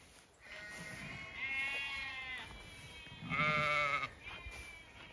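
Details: Zwartbles ewes and lambs among orchard trees in evening sunshine, County Kilkenny farm in Ireland; a long quavering bleat answered by a stronger, higher bleat, with fainter calls from other sheep around.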